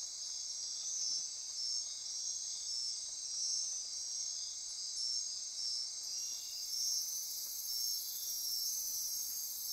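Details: Nighttime insect chorus in Costa Rica rainforest near Corcovado National Park, Osa Peninsula: dense, steady high-pitched buzzing and trilling, with a higher hiss layer joining after six seconds.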